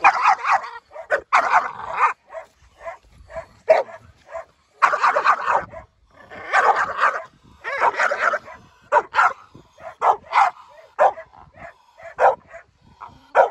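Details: Pit bulls meeting each other, one visiting the other, give bursts of sharp barks and yips, often in quick clusters of two or three with short pauses, some whining between bursts.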